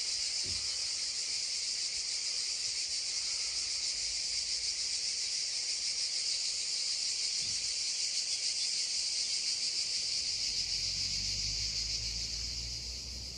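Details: Cicadas drone beside a babbling stream in this original recording: a continuous high buzz that stays level, then a low rushing rumble rises near the end.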